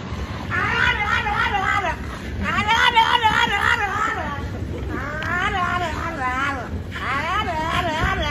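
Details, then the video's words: French Bulldog named Frenchie, pushed in a baby stroller down a street, yelling and talking out loud; wavering, warbling, voice-like yowls in several drawn-out bursts of rising and falling pitch, with street noise and traffic underneath. "Frenchie The Bulldog Loves to talk"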